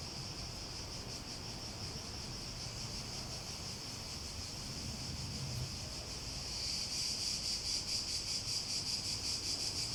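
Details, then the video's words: Cicadas in chorus: a continuous high buzzing whine that swells louder after about six seconds into a rapid, throbbing pulse, with a low rumble underneath. "Relaxing Sounds With Cicadas"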